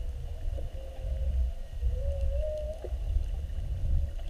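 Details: Underwater whale calls while several whales spy-hop and linger beside a whale-watch boat during a mugging: drawn-out tonal moans that rise and hold, one long upswept note in the middle, with a constant low rumble of water and boat noise.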